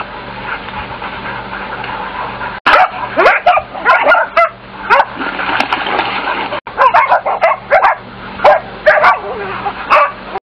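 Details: A pack of German Shorthaired Pointer hunting dogs bark and yip excitedly in quick, overlapping bursts while chasing and treeing quarry such as bobcat, fox and badger.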